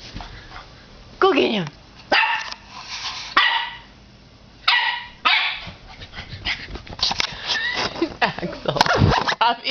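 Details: Nine-week-old puppy Axel, indoors, barking at his own reflection in a fireplace glass door: short, sharp yappy barks and a downward-sliding yelp in scattered bursts, with human voices talking in the background.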